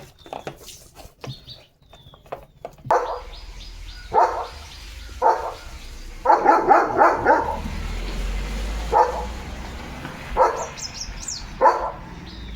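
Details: Pet German Shepherd at home, being fed while people talk; scattered short barks and yips over twelve seconds, including a quick run of about five, over low room noise and clatter.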